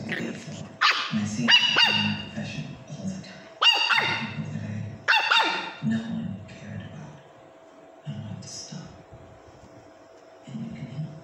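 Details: Pomeranians playing on a sofa give several sharp, high-pitched yapping barks in quick bursts of two or three, with pauses between bursts and a low rumbling murmur underneath.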